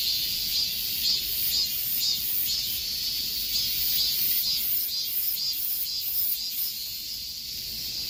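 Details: Summer-heat cicada song: an unbroken, piercing drone with pronounced pulses repeating about twice per second, the throbbing growing more distinct toward the middle before easing slightly.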